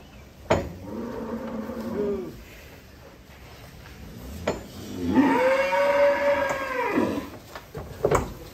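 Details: Giant cattle at Bintang Tani Farm being unloaded from a truck, giving two drawn-out moos, the second longer and steadier, with sharp knocks and clatter of handling between them.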